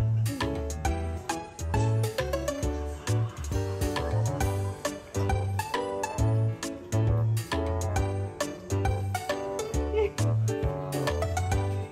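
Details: Bright children's-style music with guitar and a thumping bass line fills the recording, and no animal call stands out.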